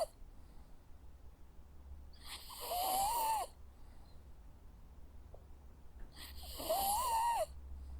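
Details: A Jack Russell Terrier dog asleep gives two slow, rough snores about four seconds apart, each holding a thin nasal whistle that wavers up and down, with a quiet room in between.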